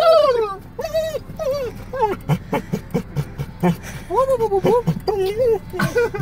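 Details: Car ride with a dog yodeling: looping, wobbling whine notes in short bursts, separated by breathy pulses, low vehicle noise beneath.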